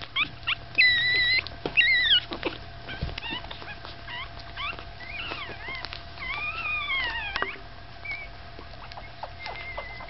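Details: Staffordshire Bull Terrier puppies, five days old, a litter from Gladius, squeaking and whimpering in high, thin, wavering cries, some rising and falling in pitch, several pups overlapping in quick irregular bursts, with a low steady hum underneath.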